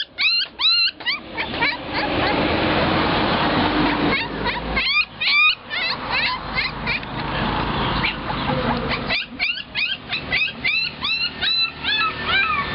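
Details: Puppies for sale at a roadside dog shop in Nakhon Pathom, Thailand, cry in high, rising-then-falling whimpers and yips, bunched in rapid bursts with brief gaps, over a steady hum of passing traffic.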